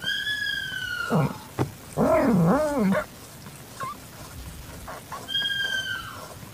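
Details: Calitabby cat in heat with a newborn calico kitten, evening of 8 September 2021: a high thin descending mew opens, then a loud warbling yowl that wavers up and down, and a second high mew at the end.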